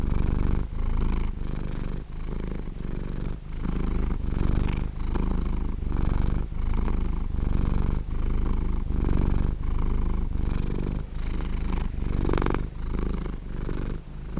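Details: Purring from a sleeping cat, a continuous low vibrating drone broken into short breath-paced pulses, slightly quicker here at around 0.6 to 0.7 seconds per phase, with no other sounds.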